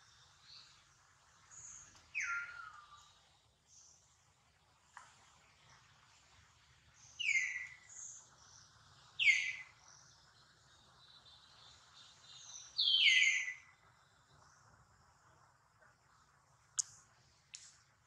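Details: Hurt baby monkey named Duke, mother Duchess close by, gives loud piercing cries that slide steeply from high to lower pitch. Four main squeals come at irregular intervals, plus softer high chirps and a couple of sharp clicks.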